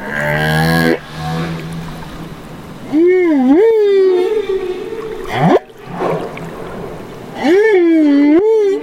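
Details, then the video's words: Baby humpback whale in Banderas Bay, Mexico, making wavering, rising and falling tonal cries, one upward swoop, and more wobbling moans near the end, over underwater rumble and hiss. "Humpback Whales of Banderas Bay"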